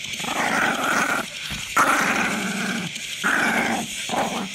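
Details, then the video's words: Papillon dog described as grumpy producing harsh, grumbling growls in several sustained bouts separated by short breaths, the rumble rising and falling in loudness. "J.K. Growling - Just another grumpy papillon"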